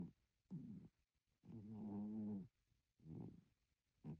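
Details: Sleeping domestic cat snoring: low, rough harmonic breaths in bursts of about half a second to a second, one longer drawn-out snore in the middle, separated by short quiet gaps in a calm indoor setting.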